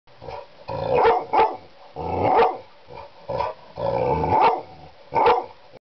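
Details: A four-year-old Labrador Retriever barking at a clock indoors: rough, low, growly barks in bursts of about a second, with a deep rumbling growl running between them.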